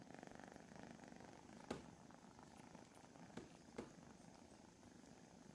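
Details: Steady, fine-grained purr from one of the Von Trapp foster kittens during morning lap and petting time, rumbling continuously for the whole stretch with a few soft clicks and rustles, a small dog in the kitten room.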